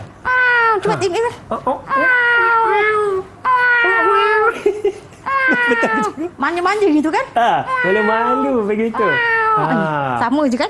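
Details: Domestic cat sound played in a preschool lesson on animal sounds, a series of drawn-out, wavering meows with rich harmonics, some rising then falling, repeated with short gaps over about ten seconds.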